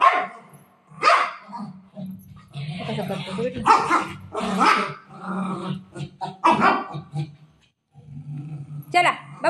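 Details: Indoor ball play between a shih tzu and a golden retriever: a series of loud, abrupt barks and a low growl, spaced a second or two apart, with a woman's Marathi chatter running alongside.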